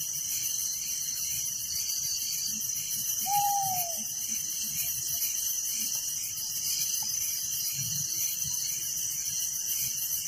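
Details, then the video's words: Night crickets in a village keep up a continuous high, pulsing trill chorus layered with a lower rhythmic chirping band; one brief drooping whistled note from another animal sounds early on. "Relaxing Night Crickets Sound in Village"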